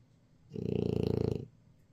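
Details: French Bulldog named Jjajang snoring while napping: a single low, rattling snore lasting about one second, with a rapid pulsing buzz, in an otherwise quiet setting.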